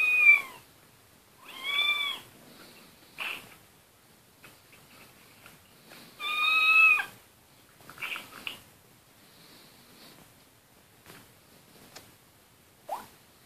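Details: Domestic cat giving short, bright meows, two close together at the start and a louder, longer one midway, with faint chirps and quiet household rustling between them.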